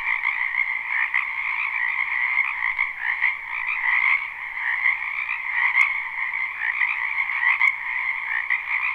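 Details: Many frogs croaking together in a spring wetland, recorded live: a dense, continuous chorus of trilling croaks in two steady bands, overlapping so closely that no single caller stands out. The sound holds steady throughout, with only brief faint clicks.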